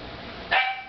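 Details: Border Collie waiting to be given dinner gives one short, sharp, high yip while a person nearby tells it to wait.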